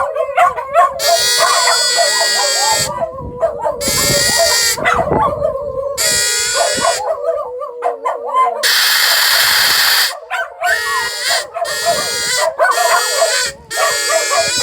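Several dogs howl together, their voices wobbling up and down in long, mid-pitched wails. Harsher yelps, whines and rough bursts of noise cut in between the howls, with what may be a human voice in the mix.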